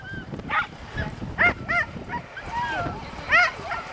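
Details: Piper, a border terrier, tries Strong Dog, going into a tunnel to pull out a 15-pound fake badger her own weight; a few short, sharp, high yipping barks come at irregular intervals over busy background noise and human voices.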